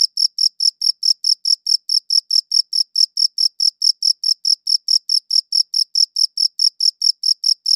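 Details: Cricket chirping, taken with a high-quality audio recorder: a steady run of short, sharp, high chirps, roughly four each second, evenly spaced against total silence.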